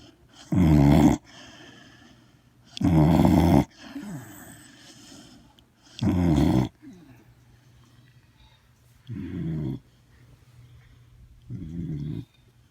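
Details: Dog asleep and snoring: six heavy, rough snores at irregular intervals of about two to three seconds, deep and raspy, the last two softer, with faint breathing noises between them.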